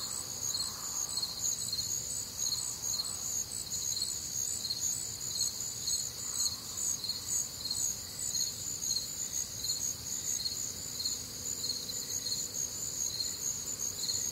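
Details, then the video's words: Warm humid Midwestern summer night filled with crickets: a continuous high, pulsing chorus of chirps near two per second, steady throughout, with faint scattered lower nocturnal sounds in the background. "Night Time Cricket Sounds"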